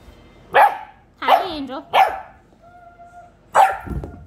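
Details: Ryobi, a female Rhodesian Ridgeback/McNab/English White Lab mix puppy, barks when excited and playing, often at her reflection or her Kong toy. Four sharp, loud barks: three in quick succession, then one after a pause, over a faint steady hum.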